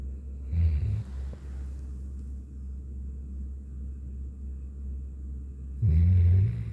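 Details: Aloha, a Golden Retriever, sound asleep under a futon on a cold, rainy day with no walk; recently started snoring. Two loud, low, rasping snores, about five seconds apart, over a steady low hum.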